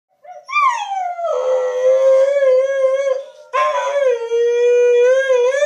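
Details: Diablo, a pet dog missing his owner in Missouri, howls along with her over a webcam call, filmed on an iPhone 4s. A long tonal howl falls at first, then holds steady; a second howl follows after a brief break.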